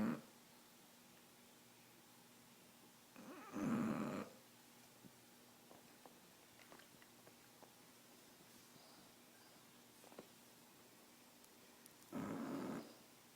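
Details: Riley, a bulldog sleeping on a couch indoors, breathes in two loud, rasping snores roughly nine seconds apart, with soft quiet breathing between them and no other sounds in the room.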